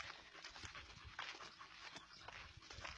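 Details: German Shepherd panting while out on a walk: soft, breathy broadband puffs recur roughly every half second over a faint outdoor background.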